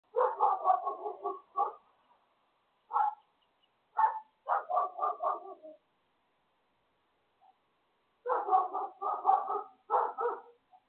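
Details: A dog barks next door in quick volleys of three to six sharp barks. The volleys are split by pauses, with a long quiet gap in mid-clip before a final run of barking.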